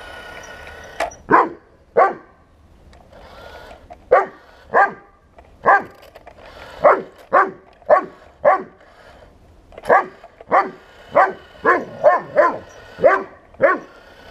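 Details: Buddy, a Bernese Mountain Dog confronting a 1:16 remote-control tank, barks about seventeen times in a steady, insistent series roughly every half to one second, with a faint motor hum underneath.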